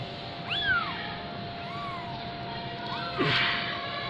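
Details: Fifteen-day-old Persian kitten from Gujranwala mewing in short arched cries, one sharper call then softer ones, a person talking nearby and a low steady hum underneath.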